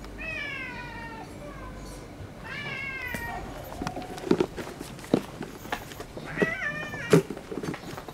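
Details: A white tabby female, the friendliest cat around, whose sleeping spot a rival cat has taken over. Two harmonic meows open, followed by thumps and rustling, then a shorter meow near the end.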